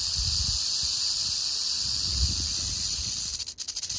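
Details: Prairie rattlesnake (Crotalus viridis) in western Oklahoma, sounding a continuous dry, hissing buzz of rattling that holds steady, then breaks into a few quick stutters before stopping near the end.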